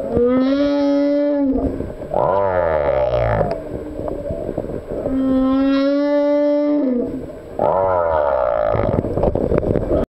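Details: A male humpback whale sings, pairing sustained, even, harmonic moans with harsh, downward-gliding groaning sweeps in a repeating pattern; units last one to two seconds each.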